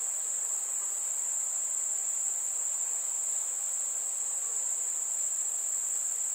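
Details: Crickets singing on a warm summer evening, a constant shrill trill without pauses, even in loudness from start to finish.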